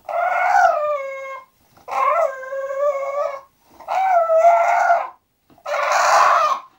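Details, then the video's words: Going to sleep, English bulldog Zenuś lets out four long, wavering moans. Each lasts over a second and is split by short pauses, and the final one is the hoarsest and noisiest. "English bulldog Zenuś go sleep"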